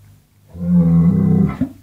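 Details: A single short, low lowing call of about one second from a cow in an Indonesian cattle barn (Madura, Java, Sumatra), steady in pitch and ending in a brief rougher tail.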